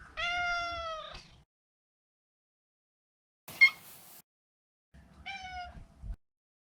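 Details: Maro, a neutered male Maine Coon house cat, gives a clear falling meow and then a brief sharp chirp. After a pause comes a second, shorter meow that dips slightly in pitch.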